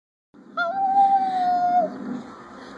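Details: A Silky Terrier howls indoors: one long, steady, tonal note, sustained for about a second and a quarter at a fairly even pitch, then fading into a low background murmur.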